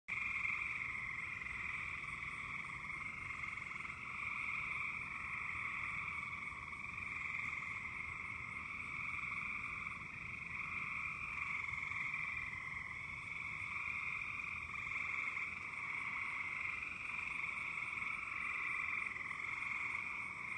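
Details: Frogs calling at night in Virginia just after a storm passed over, a dense continuous chorus of high trilling chirps forming a steady unbroken wall of sound.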